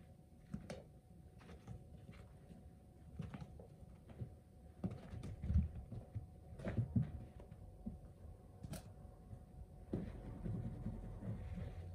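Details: Quiet indoor room with soft thumps, patter and occasional knocks, like small movements against furniture, over a low steady hum; no animal calls are heard.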